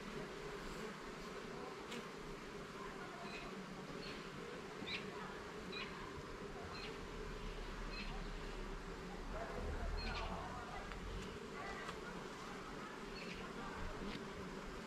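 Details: Honey bees humming steadily during a garden hive inspection as frames and levels are checked; a dense low drone runs throughout, with faint high chirps from birds scattered above and some low rumbling underneath.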